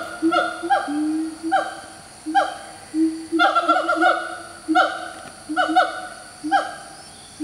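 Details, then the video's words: Wild siamang in Malaysian tropical forest, calling in the morning, throat swelling as it calls: loud resonant hooting barks repeated in bursts about every second, some notes sliding downward, with a steady low booming tone beneath. "Territorial Call from Malaysia tropical forest... Siamang, 合趾猿, Symphalangus syndactylus, フクロテナガザル"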